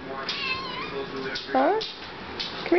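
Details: Siamese kitten meowing just before getting the hairball remedy it loves; one clear arched meow, rising then falling, in the middle, with a woman's coaxing speech before and after it indoors.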